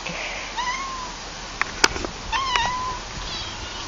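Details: Cat giving two drawn-out meows, the first slightly rising then level, the second flatter and longer, about a second and a half apart, with a few sharp clicks and taps in between in a quiet setting.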